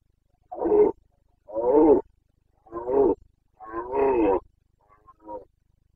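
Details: Rutting Carpathian stag (red deer) bellowing in Bucovina's mountain forests in breeding season, late September 2022: five rough, throaty roars in steady succession, the fourth longest and loudest, the last softer and shorter; no other sounds.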